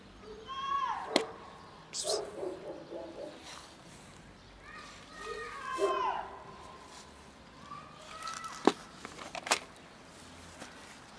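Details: A cat that followed a person and sat on a bench, meowing loudly: several harmonic, drawn-out meows that rise then fall, spaced a few seconds apart, with sharp clicks and light outdoor background noise between them.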